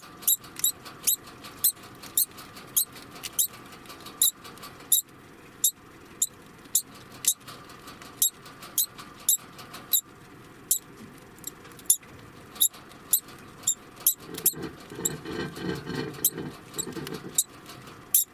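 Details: Eleven-month-old male degu giving alarm calls: sharp, high squeaks repeated steadily about twice a second for the whole stretch, with a soft rustling noise underneath near the end.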